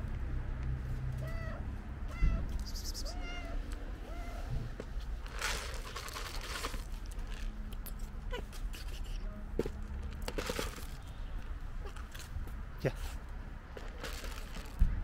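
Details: A friendly, fat stray tabby cat gives a few brief, rising-then-falling meows over a low background rumble.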